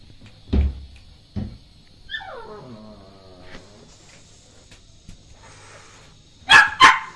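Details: Male Shih Tzu puppy with its mother nearby: a falling whine with a harmonic stack around two seconds in, followed near the end by two sharp, loud barks, with a few faint thumps early on.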